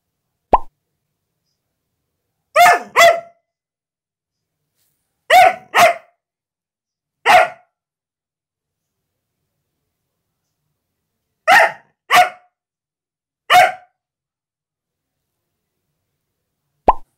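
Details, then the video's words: Female Siberian Husky protecting her new carpet from anyone approaching, barking in short bursts of one or two sharp barks every few seconds, with brief soft yelps at the start and end. "Husky protects her Carpet!"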